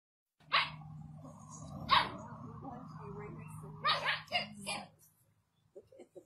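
A Rottweiler gives loud, deep, explosive barks, spaced unevenly, over a low steady hum.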